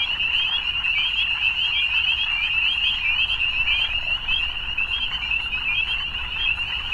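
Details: Massed frogs croak and trill at dusk, a constant high buzzing chorus with slight wavering in pitch and loudness, calls overlapping so densely that no single voice stands apart.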